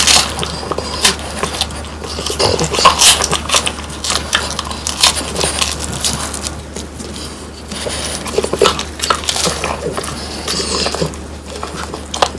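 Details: Crisp, bony crunching as three French Bulldogs, Pang, Kun and Ppo, eat whole quail dried by their owner, rapid brittle cracks and gnawing bites in a small room, a faint low hum constant behind.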